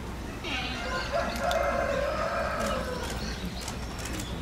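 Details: One sustained, wavering harmonic bleat lasting about two and a half seconds from the giant panda Tantan, vocalizing for a while amid falling snow at Oji Zoo, 19 January 2021; faint clicks and steady low hum behind.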